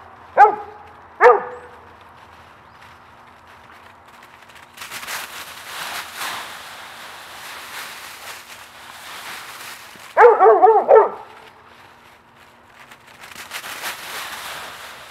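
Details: Two dogs playing in a raked leaf pile outdoors; short harmonic barks near the start, then a burst of several quick barks later, with loud crunching and rustling of dry leaves between them.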